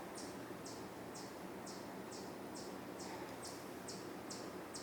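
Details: Steady series of sharp, high chipping notes, roughly two per second, from a chipmunk in woodland at Cornell University, Ithaca, New York, 27 June 2024, with a hawk in the woods as a possible trigger; faint hum beneath.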